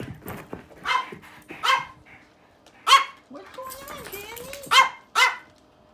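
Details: A dog with the zoomies barks in short, sharp, harmonic-rich bursts spaced irregularly over about six seconds, with a whining, gliding vocal sound in the middle and some background voices.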